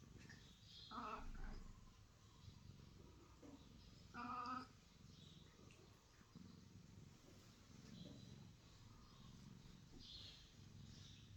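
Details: Wiset, a pet cat praised as a 'talking' cat, gives two short harmonic meows about three seconds apart, the second louder and fuller, over a steady low hum with faint high chirps in the background.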